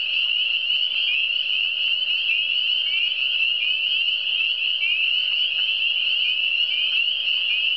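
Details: Massed frogs calling in the Eastern Townships, their rapid high trills merging into a constant ringing drone that never pauses, some trills sliding slightly upward, over a faint low electrical-like hum.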